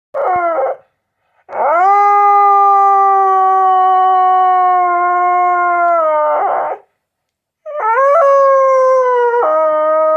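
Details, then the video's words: House dog howling: a short rising cry, then a long, steady, drawn-out howl of several seconds that drops at the end, followed by another wavering howl, with quiet gaps between. "Sounds of a House Dog"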